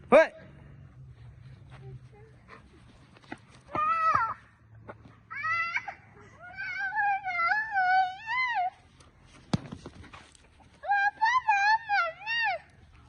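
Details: German Shepherd dog giving drawn-out, wavering whines and moans in bursts of several seconds, high and quavering with pauses between, a sharp knock near the middle and low room hum beneath.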